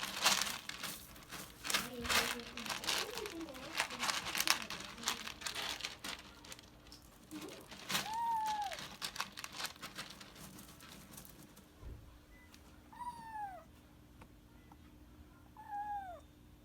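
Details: Kitten Mamedaifuku indoors. Loud crinkling and rustling with some faint speech fill the first half. Then come three clear, high, downward-curving meows, one near the middle and two close together near the end, with quieter gaps between them.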